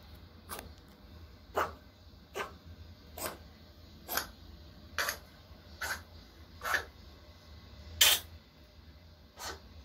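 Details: Pet Pomeranian Choco, male, born 13 May 2020, sick for two months, sneezes in short explosive bursts roughly once a second, about ten in all, against a quiet low room hum.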